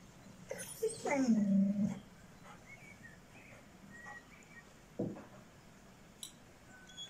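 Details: Six-month-old Šarplaninac puppy Bitzer lets out a single drawn-out whine that slides down and holds steady for almost a second, then falls quiet apart from a soft thump and faint room noise.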